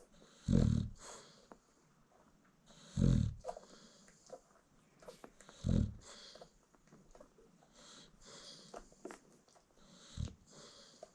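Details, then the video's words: American Bully mother snoring peacefully while nursing her newborn litter indoors: deep, low rumbling snores in four breaths about every two and a half seconds, with faint squeaks and suckling noises from the puppies between them. "Newborn American Bully Puppies Feeding While Mom Snores"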